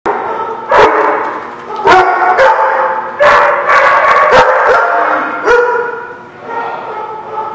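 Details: Dogs at a dog lot on 21 November 2016, several dogs barking and yipping together in overlapping bursts, loud harmonic barks with sharp clicks and knocks between them.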